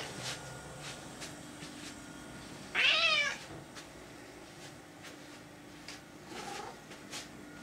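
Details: Indoors in her kitchen, Florence the cat lets out one loud, clear meow that bends up and down, followed seconds later by a much fainter, softer mew, with light clicks and household noise around it.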